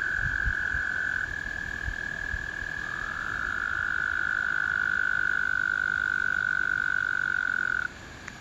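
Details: American toads in a spring chorus: a long high trill, a second trill overlapping near the middle, then the trilling stops abruptly near the end.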